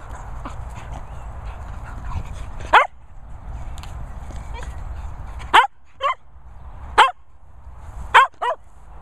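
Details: Two Cocker Spaniels fooling around in play, giving short, sharp yips and barks: six quick bursts spread over nine seconds, two of them paired close together, over a quiet low room hum.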